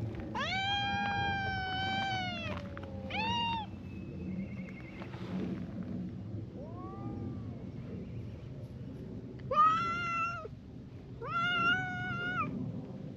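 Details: Brown tabby and tortoiseshell cats trading a verbal spat at a cautious distance; long sustained moaning yowls, a brief break, then a soft rising call and two harsher, clipped wails about a second apart toward the end.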